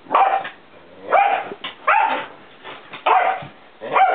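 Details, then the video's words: Pinscher puppy of five months, on his first day in Denmark, playing noisily with another Pinscher: sharp, high barks repeated roughly every second, some rising into yelping whines. "Pinscher - Leszlo och Toffee leker högljutt!"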